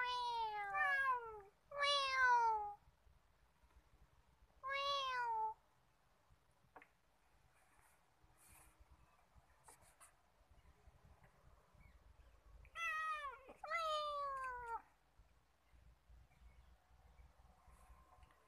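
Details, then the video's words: Talkative male cat roaming freely at Nigeen Lake, Srinagar, Kashmir, giving bursts of loud falling harmonic meows, some doubled, separated by quiet gaps with faint background hum. "Cute talking cat"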